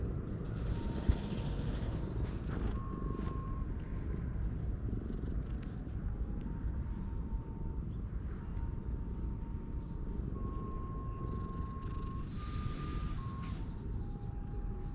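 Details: Stray cat found on a lawn, happily climbing onto a lap while being stroked outdoors, purring in a steady low continuous rumble throughout, with faint tonal humming from nearby traffic or machinery and occasional soft rustles.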